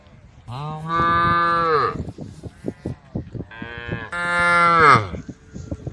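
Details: Two long, steady moos from cows calling the herd while wandering a dusty country road, each about 1.5 seconds, separated by short clicking and knocking sounds.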